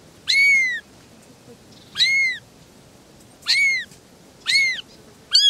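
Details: Three little kittens talking, with four high arched meows spaced about a second apart, each rising sharply then sliding down, and a fifth just starting at the end; background otherwise quiet.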